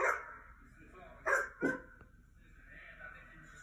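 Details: Dogs barking from laptop playback as a mini goldendoodle listens curiously; one bark opens, then two quick barks follow after a gap, with a faint voice and soft background hum afterward.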